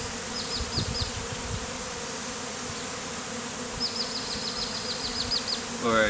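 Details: Honey bees from a removed hive forming a bee beard on a beekeeper's face; continuous hum of the cluster with passing high whines of single bees, a man speaking nearby.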